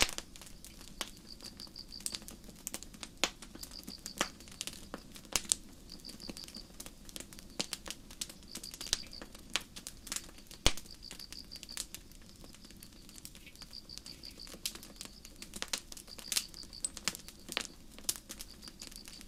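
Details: Crickets at night in a forest under a starry sky, chirping softly as a high, thin trill in repeated bursts, while loud crackling pops from a campfire sound throughout.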